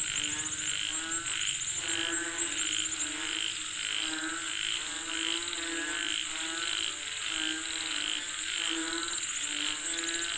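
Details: A frog chorus calling for rain, many voices overlapping in repeated harmonic croaks and bursts, some with quavering rising tones, over a constant piercing insect hum.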